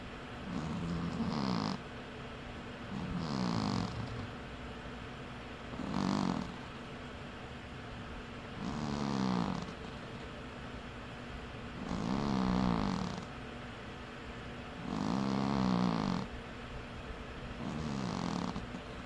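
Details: Sleeping domestic cat snoring: rhythmic, low rasping breaths roughly every two to three seconds, seven snores in a row, each a buzzy, wavering rumble with a breathy hiss on top, over a quiet indoor background.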